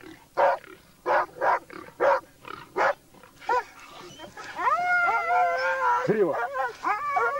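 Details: Hunting laikas with a labrador on a wild boar hunt give six sharp barks at roughly half-second to one-second gaps, then a drawn-out, wavering whining howl with clear harmonic tones takes over the second half.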